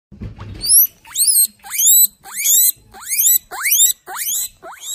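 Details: Guinea pig; wheek call; calling for food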